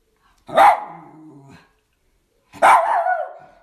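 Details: Spoiled Miniature Schnauzer puppy demanding playtime; two sharp barks two seconds apart, each trailing into a whiny, wavering tail, with silence between.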